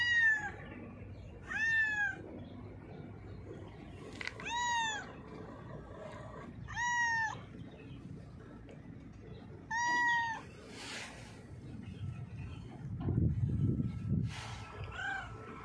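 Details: Domestic cat blind in its left eye, hiding under a mixer truck after being called; five or six strong arched meows spaced roughly every two to three seconds, with a steady low hum and a burst of rumbling noise near the end.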